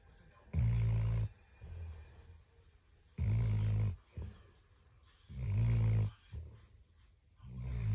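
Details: A sleeping dog snores loudly, each deep rasping breath lasting under a second and recurring about every two and a half seconds, with quieter softer breaths between.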